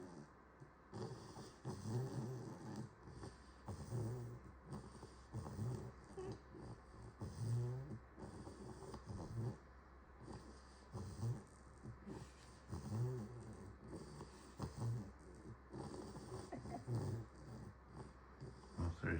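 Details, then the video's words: Puppy snoring after a shower, low rumbling snores repeated about every two seconds with soft wheezy breaths between, indoors with steady background hiss. "Snoring puppy after a shower"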